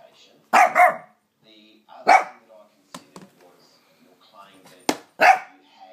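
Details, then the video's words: Lhasa Apso dog, scared of the hoover, giving short sharp barks in three separate bursts with quiet gaps between, plus faint background voices. "Dog scared of hover"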